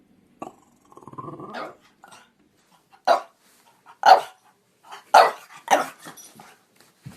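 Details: French Bulldog at play: a low growly grumble, then four or five separate sharp barks roughly a second apart, each short and mid-pitched.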